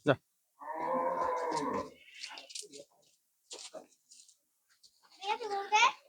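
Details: Friesian cattle at Rongdhonu Agro farm on the day one is sold, giving a sustained, low, harmonic moo lasting over a second, followed by Bengali speech and another rising-falling bovine call at the end.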